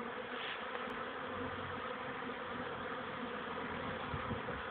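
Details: Swarm-like drone of young honey bees on their first flights near a hive, mid-May afternoon after cold, rainy days: an unbroken, even buzzing hum without pauses, slightly quieter and smooth throughout.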